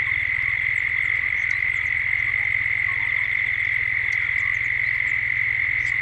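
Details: Gippsland dusk, Australia: a chorus of cicadas sustains a flat, ringing buzz, while several faint high bird twitters sound intermittently in the background, recorded in 3D.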